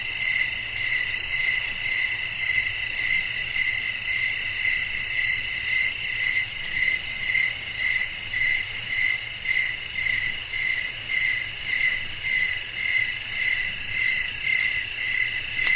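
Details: Nocturnal nature ambience of crickets calling amid wind, many insects producing a bright, unbroken high trill with rhythmic pulses nearly twice a second and a quiet low-frequency background.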